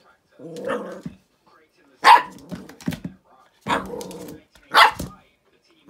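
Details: Teddy, a feisty little dog, meeting a squeaky ball for one of the first times: a run of short, gruff barks and growly yaps in bursts about a second apart, with human voices alongside.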